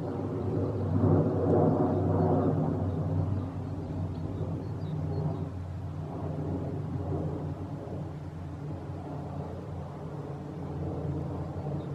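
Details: A low, steady outdoor rumble like distant traffic or thunder fills the recording, with no bird or other animal voice heard.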